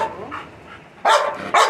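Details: Labrador Retriever Milky barks twice in quick succession at the end after a quiet stretch with soft voice-like sounds.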